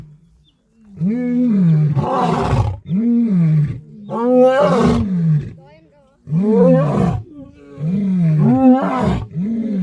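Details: Roaring lion, used to signal location, display strength and warn off lions from other prides; a series of grunting, moaning roars, each with a rough loud peak, repeated roughly every two seconds.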